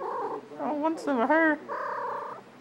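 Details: Pet domestic cat indoors gives a drawn-out meow, its pitch bending up and then down, bracketed by a woman talking affectionately to it.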